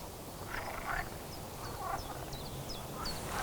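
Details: Green frogs croak in rough, buzzy bursts about once a second, several calling together, at a forest peat-bog wetland in the Belgian Ardennes in summer 2025, with thin high bird notes, including chiffchaff, above and low background rumble.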